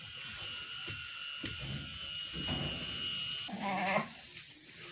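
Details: Domestic goat during milking, giving one short wavering bleat near the end after a stretch of steady humming background noise and soft rustles.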